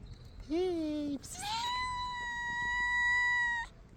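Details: Hungry stray cats meowing nonstop at feeding time; a low, short bleating cry followed by a long, steady, high meow held for about two seconds, with faint background rustle.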